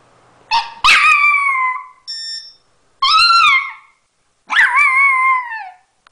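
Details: Singing puppy letting out repeated wavering howls that climb and then fall away, with a sharp yip at the start and a brief high tonal squeak between the first two howls.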